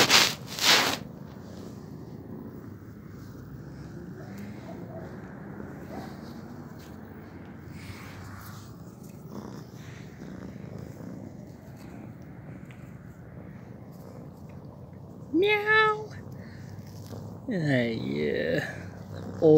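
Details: Female kitten purring nonstop after boldly approaching a passer-by outside her home on Shenton Avenue; a steady low rumbling purr runs throughout, then two short, arching tonal calls near the end.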